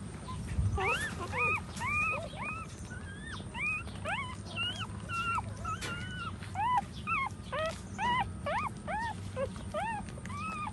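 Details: A litter of puppies suckling from a standing mother dog whimpers constantly: clear, high, arching squeals, roughly two per second, each rising then falling, some overlapping, above a low steady hum.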